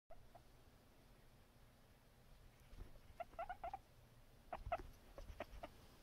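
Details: Pet guinea pig giving soft, short squeaks that come in quick clusters, first a run of several chirps and then a second burst about a second later, after a quiet opening with low room hum.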